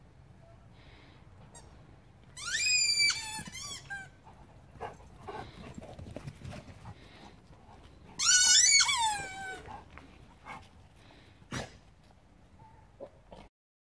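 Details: A guinea pig from a herd kept alongside Bobtail dogs gives two bursts of shrill, rising squeals with a few soft clicks between them.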